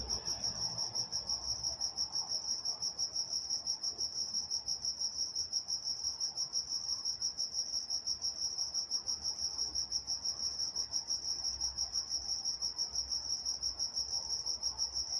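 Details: Night-time crickets in Walnut, California: a continuous shrill trill pulsing rapidly and evenly, high and bright, with a faint upper overtone band and soft low background hum.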